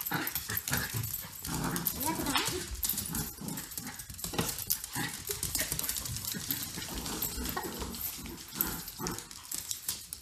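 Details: During playtime between pet dogs Grace and Button, a cockapoo and a shih tzu, harsh growly noises and scuffling run continuously for ten seconds, while a person talks over them.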